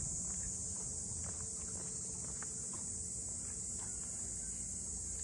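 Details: A high, unbroken cicada hiss fills the waterfront streets of Ine no Funaya north of Kyoto, while scattered light footsteps click along below it during a walk.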